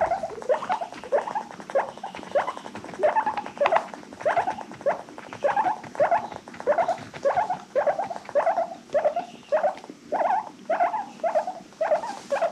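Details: Happy wheeking from pet guinea pigs in a rescue-adopted herd: a long run of about twenty short upward-flicking squeaks, evenly spaced at less than a second apart, bright and piercing, with light rustling behind.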